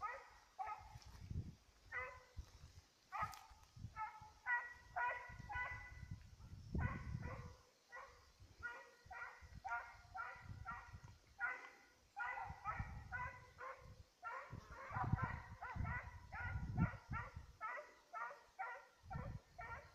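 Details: Petit Basset Griffon Vendéen in pursuit of a rabbit on 5 October 2014, giving rapid, repeated ringing barks in bursts, with low rumbling thuds of movement or handling noise between them.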